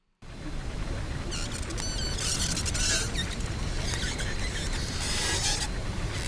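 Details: Pacific white-sided dolphins recorded on a hydrophone give squeaky, wavering whistles, like a squeezed balloon, and rapid clicks over a low underwater rumble.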